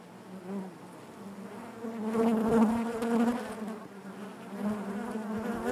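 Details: Natural hive buzzing of honey bees, a continuous layered drone that grows louder through the middle as several bees hover near, then settles back to an even, throbbing hum.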